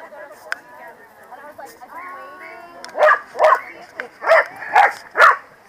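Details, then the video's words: At the PWCCGS NJ Corgi Funday Sunday 2017 in New Jersey, a corgi gives six loud barks spaced about half a second apart after a stretch of crowd voices and a faint whine. "Corgi Feared Gang - Rumbles"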